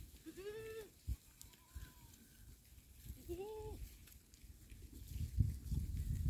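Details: Goats recorded on 20 October 2024: two clear, wavering harmonic bleats, each under a second, with a fainter higher call between them; low rumbling and handling noise build toward the end.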